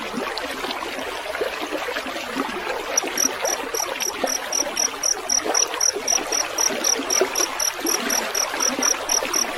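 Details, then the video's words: Trickling, gurgling water fills the opening seconds before a field cricket (jangkrik sawah) joins in with quick, high-pitched chirps, about four per second, running steadily to the end alongside the flowing stream; prepared as mastering for songbirds. "Masteran suara jangkrik gemericik air"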